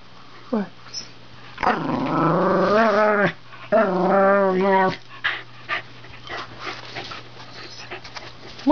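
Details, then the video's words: Male Wire Fox Terrier talking to his owner at the computer indoors, a Border Collie nearby; two long wavering moan-growls with rising whiny inflections, followed by quiet sniffs and soft shuffling. "Harley Wire Fox Terrier speaks his mind"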